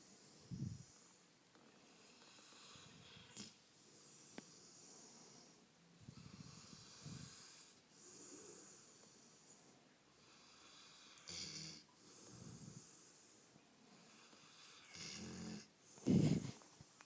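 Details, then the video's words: Maya, a pet Rottweiler, snoring while being petted, making loud noises she always makes: short low snorts and breathy snores every few seconds, ending in a louder rough snort. "Rottie snoring a little more"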